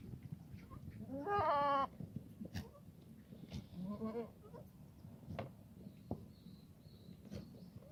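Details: Black goats in a farm exercise yard in Gimhae, South Korea, on a foggy Friday morning in late March: one loud, harmonic bleat of under a second, then a softer, shorter bleat, with scattered knocks and yard noise.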